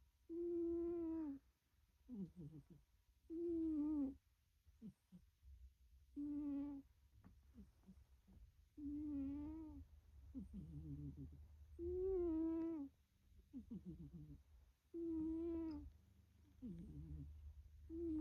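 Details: A pet cat, likely black, snores in sleep: a steady cycle of drawn-out, nasal, humming inhales about every three seconds, each followed by a softer, rattling exhale, with quiet gaps between breaths.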